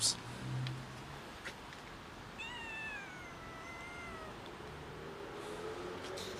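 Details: A cat gives one long drawn-out meow, starting high and sliding slowly downward over about two seconds, preceded by brief knocks and a faint voice in the background.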